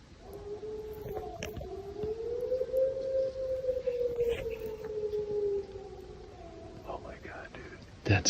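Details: A wild gray wolf howls at night in the Northwoods of Michigan's Upper Peninsula, apparently not far away. It gives one long, smooth howl that rises slightly, holds steady, then slowly sinks.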